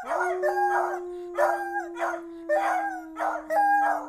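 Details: Beagles Ramsay and Sarah give short, rough, quavering howls in quick bursts about once a second, with a steady low humming tone held beneath them throughout.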